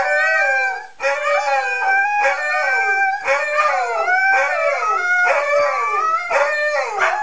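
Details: Several Siberian Huskies howling together in a chorus of long, wavering, overlapping voices that rise and fall in pitch, with each swell lasting about a second before the dogs' tones slide down and start again.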